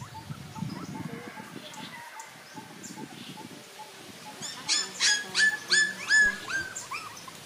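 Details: After quiet rustling, puppies from a litter of five break into four loud, high, downward-curving whimpers in quick succession, followed by softer squeaks.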